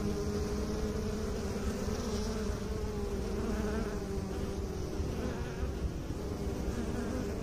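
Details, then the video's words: Honey bees tended by beekeepers producing a constant droning buzz, low-pitched with faint higher overtones, even in loudness across the stretch. "Bee song"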